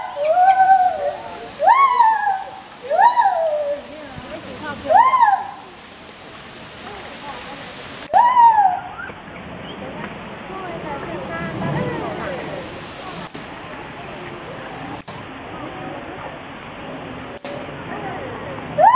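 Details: Loud calls of a white-handed gibbon, 02/11/2021: five swooping rising-and-falling hoots in the first nine seconds, spaced about two seconds apart, then background hiss, a steady electronic tone and faint voices.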